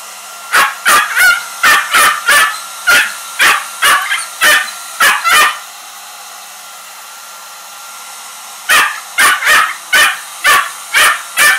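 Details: A Shiba Inu gives rapid, sharp barks, about two a second, at a hair dryer running on cold, over its steady mechanical hum.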